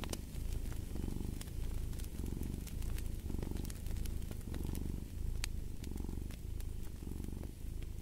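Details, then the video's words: Steady low purring of a cat, each breath producing a distinct swell of rumbling roughly once a second, with occasional sharp crackles from a burning fireplace. "Fall asleep to the Purring of a Cat"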